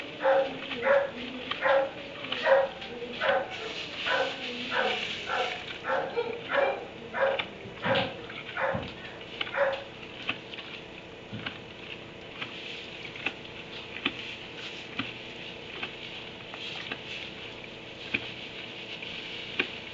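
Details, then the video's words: Dog in a kennel in a barn at 3am, barking in a quick run of sharp barks about twice a second for roughly ten seconds, then only faint scattered sounds. "Barn 3am barking dog in kennel"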